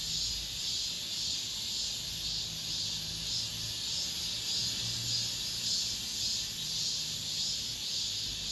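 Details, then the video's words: Cicadas in an apartment complex, the last of this summer: a dense, shrill, high buzzing chorus that swells and fades in steady pulses, nearly two each second, without a break. A faint low hum lies beneath. "올 여름 마지막 매미소리"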